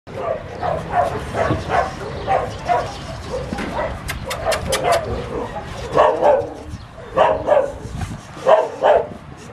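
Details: Puppies yapping in short, high, harmonic bursts, several quick yips clustered together and then brief pauses, at an uneven pace of roughly forty-six calls a minute, over a murmur of low background noise.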